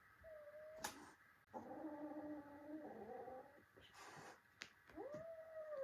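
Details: Domestic cats indoors, a kitten fighting with its adult brothers: long drawn-out yowls and growling wails, one steady tone then a lower wavering moan, ending in a rising-then-level howl, with scuffling thumps between.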